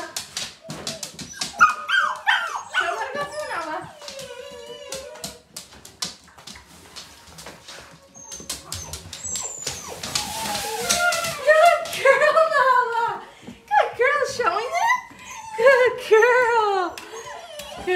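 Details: A litter of seven Gerberian Shepsky puppies getting used to a new tunnel while being coaxed through. Bursts of high, sliding whimpers and short yips come in clusters, mixed with rustling and a person's encouraging voice.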